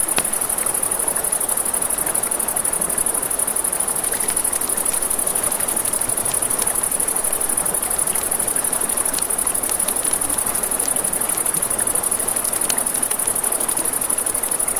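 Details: Crickets by a river at night sustain an unbroken, rapid, high chirping, while a campfire crackles with clusters of sharp snaps and the river hisses steadily underneath.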